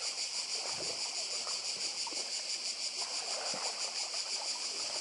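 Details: Cicadas on Badija island, Croatia, heard with the sea: a dense, continuous high buzzing chorus with steady pulsing, over a soft wash of water and surf.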